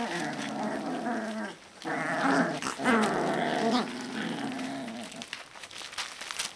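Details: Alaskan Malamute puppies, 18 to 25 days old, making drawn-out tonal grumbling growls in several bursts of one to two seconds each, with short pauses and a softer, fading stretch near the end.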